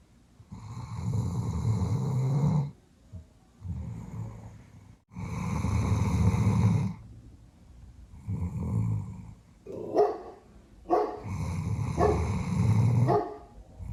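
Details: A big female Doberman, Rich, snores at night in her sleep. Her rough, low snores repeat in uneven bursts, and sharper snorting breaths break in near the end.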